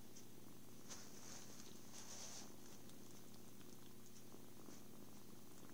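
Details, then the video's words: A happy kitten, content with cuddles, food and sleep, purrs in a low continuous drone that never pauses, while quiet crackles and brief soft scratching sit faintly in the background. "Happy kitten. Purrs"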